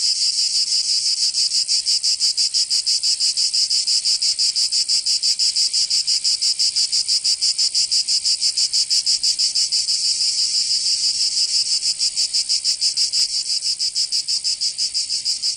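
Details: In Provence, southern France, cicadas fill a summer scene with a loud, high, sizzling drone. It is finely pulsed in fast, very regular beats and keeps going without pause throughout, easing slightly near the end.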